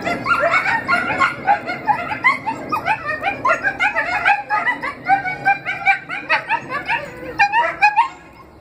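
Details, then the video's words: Four rescued coyotes howl together in the morning in a dense chorus of overlapping yips, barks and wavering high cries. "Good morning howling coyotes !"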